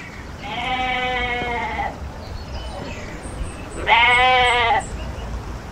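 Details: Goat heard in a family animal-sound compilation, giving two wavering, nasal bleats: a long one of about one and a half seconds, then a louder, shorter one, over steady outdoor background noise.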